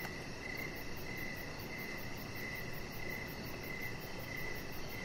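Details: Crickets chirping outdoors in the evening beside a deck where a chihuahua puppy lies under decoration lights; steady pulsed trills repeat about every half second over a constant low hum.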